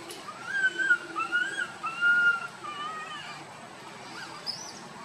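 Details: A tiny monkey wandering with its group cries loudly: about five long, wavering, whistle-like wails at a steady mid pitch over four seconds, then quieter, with faint chirps near the end.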